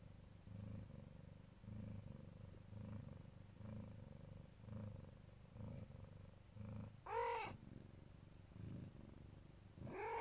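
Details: Siberian (Neva Masquerade) mother cat lovingly protecting her kittens, purring in a low, steady throb with rhythmic pulses about once a second, broken by two short, higher, rising meow-like calls near the end.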